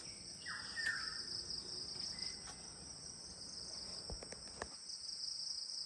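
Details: Crickets heard at Kulaura alongside birds and monkeys: a constant high shrill trill runs throughout, with a short downslurred bird note near the start and a few sharp clicks toward the end.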